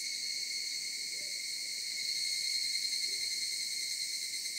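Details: Shrill, continuous cicada chorus heard from the mountains, a steady layered high drone, with faint soft low hoot-like sounds barely audible beneath it.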